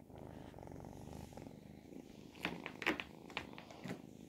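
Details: Ragdoll kittens, 10 and 12 weeks old, indoors; a low, even, pulsing purr for about two seconds, then sharp clicks and handling noises.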